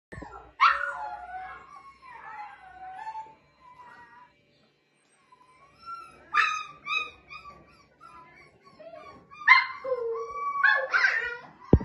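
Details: Golden Labrador Retriever puppies give high whining whimpers and yips in short bursts, some rising and falling, broken by quiet gaps of a few seconds.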